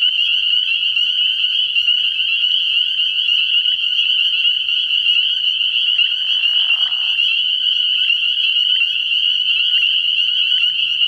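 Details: Night chorus of many spring peepers at a frog pond in early spring: an unbroken, piercing high trill of overlapping peeps, with a short, softer, lower burst of sound partway through.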